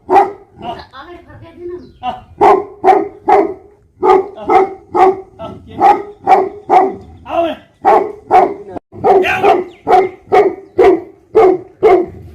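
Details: Livestock guardian Tibetan Mastiff from Nepal, called Bhote Kukur, in a long run of rapid barking, about two barks per second, opening with whining yelps and later turning rougher and more excited.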